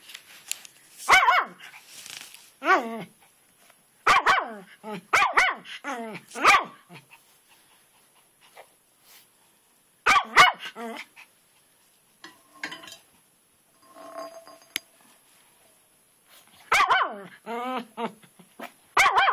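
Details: Twitch, a pet dog, barks obsessively at a rock in the flower bed outdoors in the rain, circling it; loud barks come in bursts of two to four with quiet gaps between, and a person's voice can be heard faintly.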